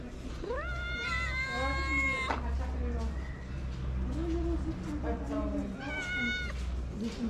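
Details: Cats in Morocco, abandoned kittens at a small shelter, crying for food and not sharing it: two long, loud, wavering meows, the first rising then falling, with a low steady hum and faint voices beneath.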